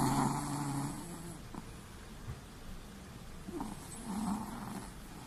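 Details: Quiet snoring from a sleeping Chihuahua indoors: a soft, raspy low rumble at the start, then brief faint snorts and a second gentle buzzy snore near the end.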